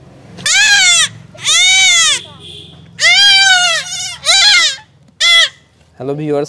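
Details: Castration of a young goat: six bleats of uneven length, some drawn out and some clipped, delivered in quick succession over a steady low background hum.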